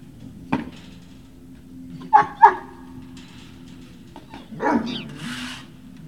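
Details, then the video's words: Great Dane puppies recorded on 18 November 2018: a soft isolated yelp, then two short, sharp, tonal yips in quick succession, followed later by a longer, wavering whine, all over a low steady background hum. "Great Danes Puppy Hill"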